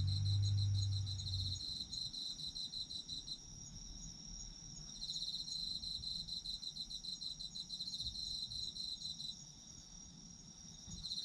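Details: Autumn insects trilling in a high, pulsed chorus that rises and fades in bursts of several seconds over a constant thin whine; a short low thump at the start.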